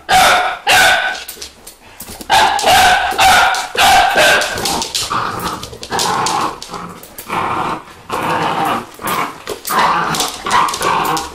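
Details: Excited Vizsla puppies bark and yip almost without pause, short shrill notes tumbling over each other in an uneven rhythm, loudness rising and falling throughout.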